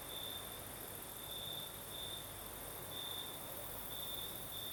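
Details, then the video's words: Crickets singing at night in the south of Crimea, with a night breeze: a steady high chirring trill that swells into brighter bursts about once a second, over a continuous thin hiss higher up and a soft low rumble of wind. "Сверчки поют"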